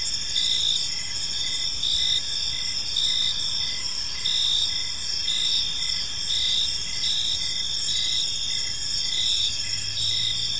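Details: Several crickets chirp together in a peaceful park at evening, their shrill trills overlapping in steady bands while rhythmic pulses come and go every second or so; a faint low hum lingers underneath.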